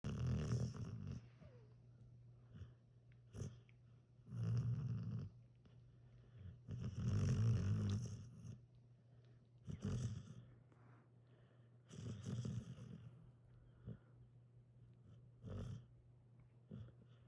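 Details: A sleeping Australian Shepherd dog, its little tongue sticking out, snores in deep low rumbling breaths that swell and fade every two to three seconds, separated by quiet pauses, indoors.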